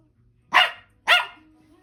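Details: Toy Poodle indoors giving two sharp, high barks about half a second apart, each short and bright, with quiet room sound around them.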